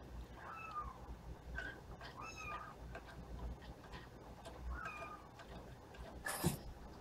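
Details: Playful young kittens; several thin, high meows that rise then fall, spaced irregularly over a few seconds, soft against a room hiss, with a sharp click near the end.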